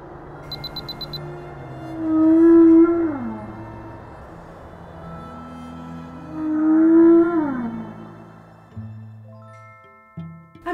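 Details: Humpback whale vocalization played back in an underwater eco-acoustics researcher's office, part of hydrophone work to detect, locate and classify animals: two long moaning calls with rising then falling sweeps, about four seconds apart, over music.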